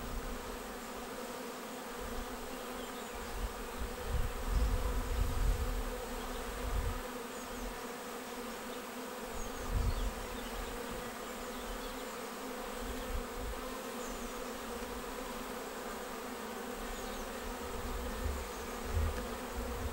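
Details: Honeybee swarm, the second caught, arriving on 19 May and filing straight into a bait hive swarm trap: a dense, continuous, steady buzzing hum of many bees throughout, with occasional low rumbling thumps.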